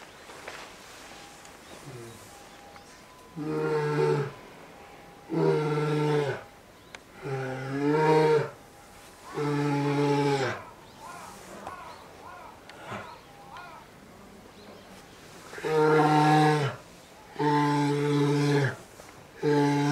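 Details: Begging to nurse, young female polar bear Lila, aged two, calls persistently beside mother Lara at Maruyama Zoo in Sapporo, Hokkaido, in winter. Loud, deep, buzzing moans of about a second each repeat roughly every two seconds.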